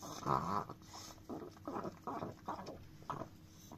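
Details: Chihuahua licking a frying pan indoors; soft wet lapping bursts repeat roughly every half second, close and quiet, with a faint steady hum in the background.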